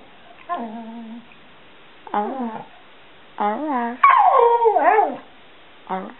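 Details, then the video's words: Seven-year-old Border Collie mix Stewart Little, called Bubba, 'singing' in response to a family member's questions: short nasal whines and yips in separate bursts, building to a louder wavering yowl near the end. "Stewart Little Talking Dog"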